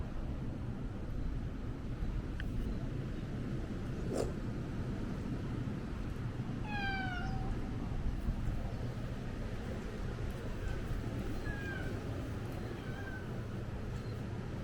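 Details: Stray cat on Ikeshima, a cat island in Japan, filmed at the turn of 2024 into 2025: a few harmonic meows around the middle, one drawn out and falling, later short repeated mews, over steady low wind and engine-like rumble.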